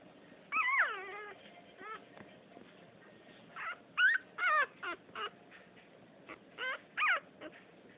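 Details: Little female French Poodle, plumpest pup of the second litter, pouts with high whining whimpers, one long falling whine first, then clipped squeaky yips in small clusters separated by pauses.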